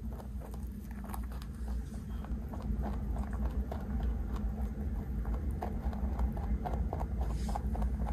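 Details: A large 3.2 kg rabbit eating snacks it is handed, recorded close up indoors; soft crunchy clicks of chewing come about twice a second over a steady low room hum.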